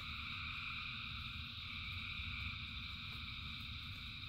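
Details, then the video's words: Frogs singing en masse in rain: an unbroken, high, buzzing chorus in several parallel bands, with the patter of heavy rain filling the low end. "Frogs in Rain 2 Hours of Frogs, Thousands of Frogs Singing"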